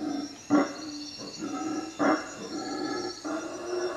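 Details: Howler monkeys in the treetops above a hut at Lake Peten Itza, Guatemala, at night, giving short, hoarse, barking grunts about every second and a half, three or four in a row, against a thin, high insect whine.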